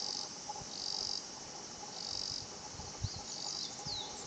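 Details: Higurashi cicada singing its 'kana-kana-kana' song at Shinpatchi-an, a quiet natural spot. High, shrill pulsed phrases come in bursts of about a second with short gaps, over a steady high insect hum and a faint low murmur.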